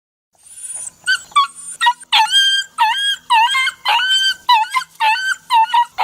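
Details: Puppy crying in a series of short, high whines with rising and falling tones, about two per second, a thin high whistle-like note opening the sequence.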